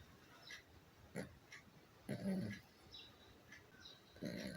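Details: Sleeping Pomchi dog with half-open eyes gives short, rough, low snores, one brief and two fuller rasping breaths about two seconds apart, over a quiet room with faint high clicks.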